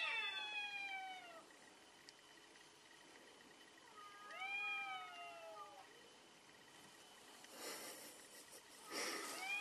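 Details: During a cat fight, drawn-out falling yowls come in two bursts, followed by loud bursts of hissing and scuffling near the end.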